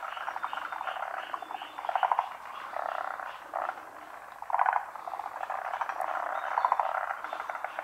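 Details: Several forest green tree frogs from Japan croak during daytime spawning over still water in the rainy season. Bursts of rapid clicking, rattling croaks rise and fall, with a few louder pulses about every two seconds.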